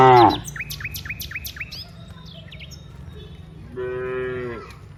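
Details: Cows walking from the rice fields to the village: a short moo opens, a bird sings a run of quick descending chirps, then a second softer, steady moo follows near the end.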